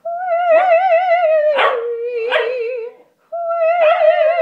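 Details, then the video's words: Einstein the corgi joins in with vocal warm-ups indoors, giving rough yelping howls in short bursts over a steady, wavering sung human note, with a brief silence near the end. "Einstein the corgi sings opera"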